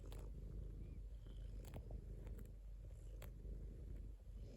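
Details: Low, unbroken rumbling purr from a domestic cat, even in loudness, with occasional sharp clicks and light rustling over the top.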